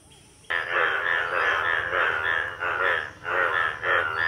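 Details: Breeding-season chorus of Indian bullfrogs in a village pond during the monsoon, yellow males with paired blue vocal sacs; after half a second of quiet, a continuous wall of harsh, rasping croaks with brief dips.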